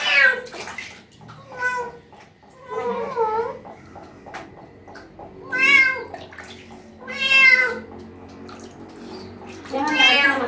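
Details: Street cat, washed carefully during its first-ever bath, gives six loud, drawn-out meows that rise then fall, spaced about every one and a half to two seconds, with faint running water and low voices behind.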